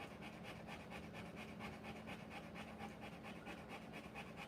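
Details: A Rottweiler mother breathes hard while whelping puppies, about ten even, breathy pants in under five seconds, each a short rasping puff, set against a soft constant background hum.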